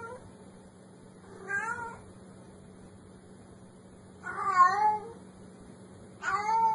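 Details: Domestic cat meowing to scare off mice: three plaintive meows spaced a couple of seconds apart, each wavering up and down, with the middle one loudest, over a low constant hum.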